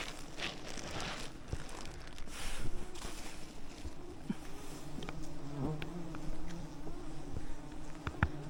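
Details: Thousands of wild bees covering a giant honeycomb high in a rainforest canopy while honey hunters on ropes use smoke to calm the swarm; a steady low droning hum with scattered clicks, rustling and knocks throughout.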